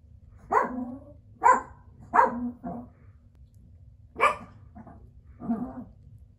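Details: Biewer terrier puppies giving short, high yapping barks, six bursts in about six seconds with uneven gaps between them, in a quiet small room.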